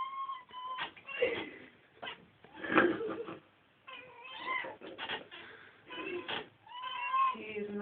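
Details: Pet cats indoors chasing a fly they cannot catch, giving repeated chattering meows with wavering, stuttered tones in bursts about every second, mixed with a person speaking.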